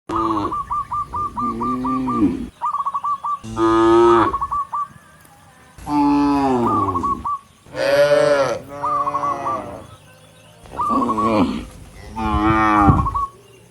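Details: Dozens of tame cattle walking up a rural road toward the barn, mooing to call other cattle: long, deep, drawn-out moos in several bursts, with a rapid series of short, high chirps repeated between them.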